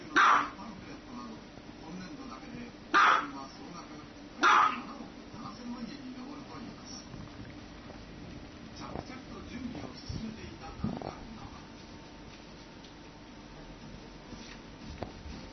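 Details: Dog gives three short, sharp barks near the start, then quiet follows with soft human voices and faint household noises in the background.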